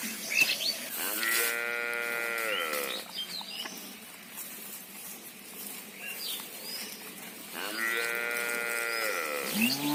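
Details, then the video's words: Two high-pitched, drawn-out moos of about two seconds each, from the mother cow and calf pair calling to each other, with bird chirps between them. "Cow Mooing"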